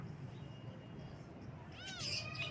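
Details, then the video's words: Baby kitten meowing in the morning: one brief, arched, high harmonic meow near the end, following a stretch of low, steady background noise. "Kitten Meows"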